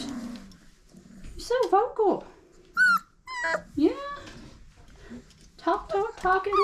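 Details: Squealing, bending whines and quick high yips pour from five-week-old Old Family Red Nose Pit Bull pups, the litter of Abby and Ragnar, some cries sliding sharply downward, over faint background murmuring.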